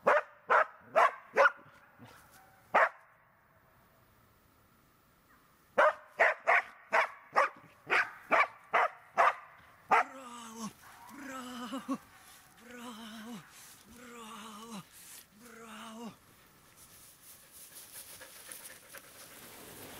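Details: Search and rescue training with Border Collie Tara: a quick burst of barks, a pause of silence, then another rapid series, followed by lower, drawn-out tonal calls and rising background noise toward the end.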